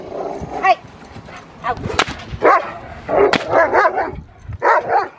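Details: Rottweiler named Magda vd Fehn Kolonie, BH, during protection training: a run of loud, harsh barks in short bursts with gaps between, some barks doubled, over a faint background.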